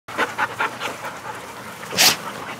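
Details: Male Labrador Retriever puppy wearing a yellow collar, from a breeder in Lovelady, Texas, recorded 9/15/19: quick rhythmic breathy panting pulses about five per second, then a louder breathy burst near the end.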